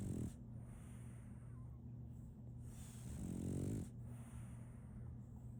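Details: French Bulldog named Solaimy, a female puppy, snoring while asleep: low rumbling snores with a raspy harmonic buzz, two long breaths over five seconds, steady low hum beneath.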